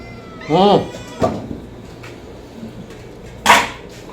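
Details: Homeless domestic kitten begging for food, giving a loud, clear arched meow followed by a shorter second cry, then a thump and low room hum.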